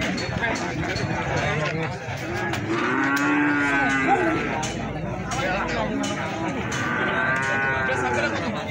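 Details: Feeder cattle for sale at Plaosan market in Magetan, lowing with two drawn-out, moaning moos, the first long and steady, the second rising later. Busy market chatter and crowd noise fill the background.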